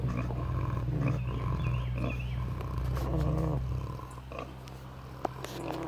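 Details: Sleeping pigs snoring at David Crockett birthplace park, giving deep, rough rumbling breaths that run almost continuously, with fainter higher snorts layered over the low drone.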